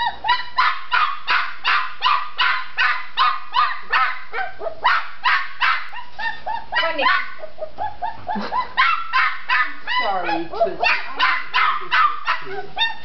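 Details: Red tri-colored female Australian Shepherd puppy barking to get out of her enclosure: rapid, regular high yaps about three per second, with brief squeaky whines near the end and a person talking softly.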